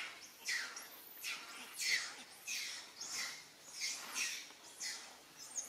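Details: Calls from monkeys during a scene where mother monkey Alika calls on Papa Kang Kep for help. High, harsh squeals sweep downward in quick succession, almost twice a second, with short gaps between bursts.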